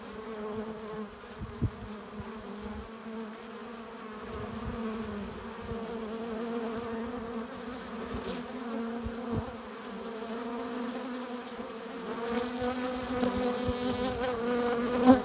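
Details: Honey bees at a hive entrance, coming in with pollen and nectar: a dense, steady droning buzz of many wings with layered low hum, swelling louder and busier toward the end, with a few sharper passing buzzes.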